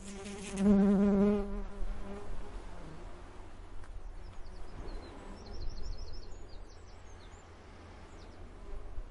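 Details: Bees pollinating: a low, droning wing buzz swells close by, then fades into the hiss of distant sea surf.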